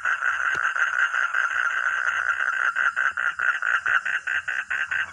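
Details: Steady pulsed croaking of a frog or toad, about two and a half notes per second, with soft low hum in the background.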